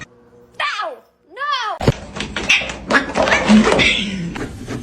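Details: A cat gives two drawn-out, arching meows, the first falling in pitch and the second rising then falling. Loud human speech and household clatter follow and take over.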